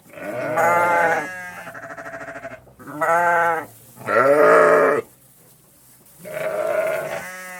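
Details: Farm sheep baaing in the countryside: five quavering, nasal bleats follow closely, the loudest in the middle, then a silent gap and a final softer baa.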